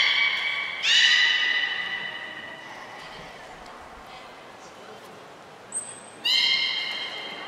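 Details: Captive belugas Gray, Nana and Mirai during training at Port of Nagoya Public Aquarium on 10 February 2024. Two loud, steady harmonic calls, one near the start and one near the end; a brief high whistle tone precedes the second. Hall noise fills the gap.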